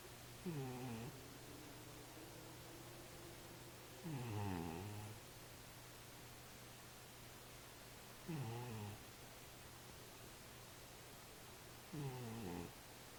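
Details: Domestic cat asleep and snoring, four throaty, harmonic-rich breaths that slide downward, each lasting under a second and recurring roughly every four seconds, with quiet room hum between them.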